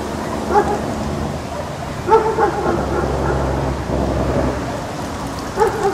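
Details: Dog barks in short bursts, a single bark followed by a double, then another single, over a dense rushing noise like rain.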